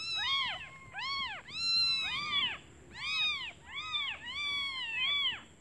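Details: Newly born kittens crying for their mother because they are hungry, the mother gone to look for food: loud, clear, arched mews in quick succession, roughly two per second, shrill and ringing.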